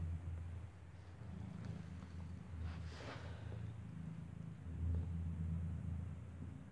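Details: Kitten with eyes not yet open nursing from its mother Kartopu, a cat that gave birth inside a building; steady low rumbling purr in pulsing waves throughout, with faint soft rustling.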